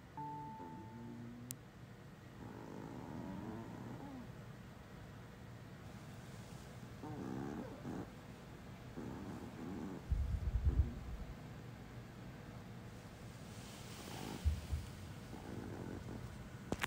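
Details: One of two Chihuahuas, a white 5-year-old male or a black 4-year-old female, snores softly in low, rumbling breaths while asleep, with faint murmuring whimpers of sleep-talk now and then.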